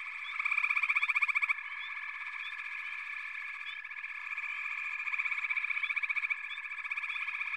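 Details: Frog chorus from backwater: a dense, steady trilling drone with loud pulsed bursts near the start and again later, and short rising chirps scattered over the top.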